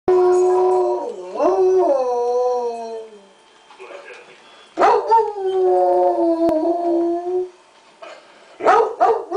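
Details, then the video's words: Bluetick Coonhound, a male pet dog, howling at night in long, mournful, wavering tones that rise and fall, broken by a short pause before another sustained howl begins, ending with rougher bursts. "SINGING THE BLUES"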